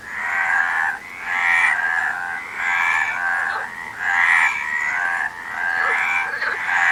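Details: Harsh, grating frog croaks in long buzzy bursts, several in quick succession with brief pauses between them and no other clear sounds.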